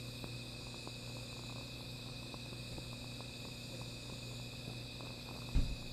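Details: Steady nocturnal insect drone, high and unbroken, heard beside a small fire with light crackling, a low hum throughout and a short thump just before the close.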